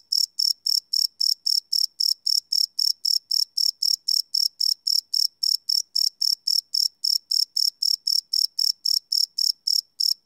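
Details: Nocturnal cricket chirps, recorded live and without loops on a Sony PCM D100: a continuous train of piercing, evenly timed pulses around four per second, no other sounds present.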